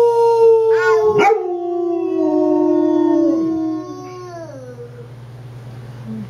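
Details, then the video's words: Pet dog howling as a baby girl and her father teach it to howl: a long, smooth howl slowly sliding downward over several seconds, with a brief sharp yelp near the start and a steady low hum underneath. "Baby And Daddy Teach Dog To Howl"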